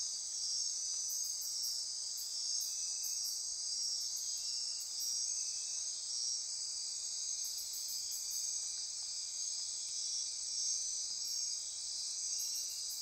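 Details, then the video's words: Dense nocturnal insect chorus at midnight in Costa Rica rainforest near Corcovado National Park, Osa Peninsula: a steady high shimmering buzz and trill, with bursts of rapid pulsed ticking above it repeating through the night. "Costa Rica Rainforest - Midnight Insect Chorus"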